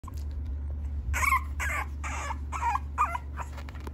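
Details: French bulldog kept at a dog breeder's in Okayama, Japan, giving five short whining yelps with a rough, harmonic tone between about one and three and a half seconds, each roughly half a second apart, over a steady low electrical hum.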